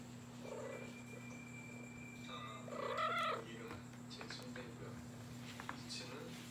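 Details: Bori, a pet female cat devoted to her dad, indoors at night; a short tonal call swells and fades midway over a low steady hum, with faint household noise around it.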